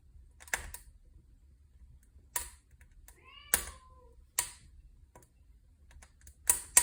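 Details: Cat by a fireplace giving a single short meow midway, a wavering tone that bends downward, set against sharp pops and crackles of a burning wood fire throughout.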